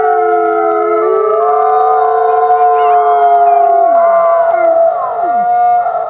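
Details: Chorus howl of wolves: multiple long, drawn-out tones held level at different pitches, with some voices sliding downward near the end, continuous and overlapping throughout.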